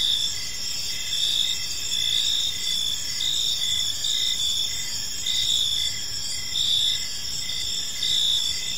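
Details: In a peaceful park at evening, crickets keep up a continuous high-pitched chirping, with pulses swelling and fading in a loose rhythm of roughly one per second over quiet low background noise.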